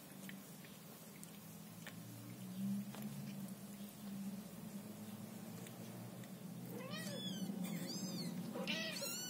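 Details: High, thin mews come in quick bursts after several seconds of low indoor hum, from a Scottish Fold mother cat tending her kittens.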